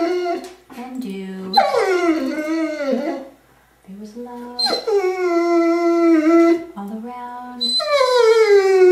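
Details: Indoors, a ten-year-old female Curly-Coated Retriever joins a person singing "Till There Was You" in her nightly singing; long quavering howls that dip and level off alternate with brief, flat, lower human sung notes.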